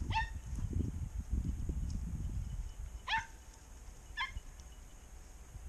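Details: Podenco hunting in brambles during a hunt with a 20-gauge shotgun, giving three sharp, high yelping barks: one at the start, one about three seconds later and a last one a second after that, over low rustling brush and wind noise.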